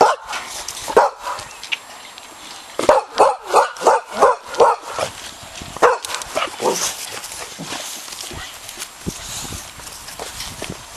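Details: Boxer puppies about four and a half weeks old, on their first moments in the park, giving a run of high, yappy barks roughly every half second, then quieter yips amid rustling and outdoor background hiss.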